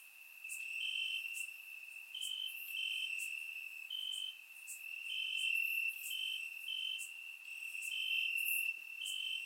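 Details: Crickets chirping in grass on a warm summer night in Bulgaria, recorded with a surround microphone: a steady high-pitched trill with overlapping pulsed chirps repeating about four times per second, plus brief higher clicks.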